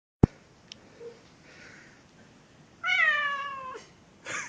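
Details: A Chechen cat gives one loud drawn-out harmonic meow, steady then slightly falling, after a sharp click and quiet room noise, with a brief hiss-like burst at the end.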